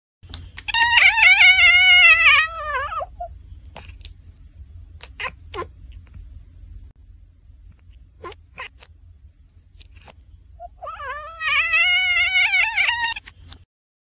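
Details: Domestic cat in a funny cute-cat compilation giving two long, drawn-out harmonic meows that waver and slide slightly downward, separated by several seconds of quiet with faint clicks and a low steady hum underneath.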